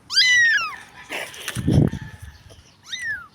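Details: Tiny stray kitten crying in a dirty street: a loud, high, downward-bending meow opens the clip, followed by scraping and low thuds, then another shorter meow at the end.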